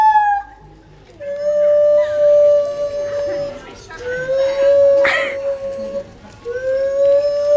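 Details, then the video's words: A monkey at Cotswold Wildlife Park gives long, steady, hooting notes, each held for a second or more and rising slightly, an unusually funny noise. "Funny monkey noise at Cotswold Wildlife Park"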